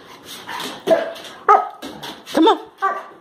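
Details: Labrador Retriever puppies Josie and Jackson jumping up for a banana held above their heads, recorded March 21, 2018; a run of short, sharp yips and high barks, about one burst every half second, some rising into squeaky whimpers.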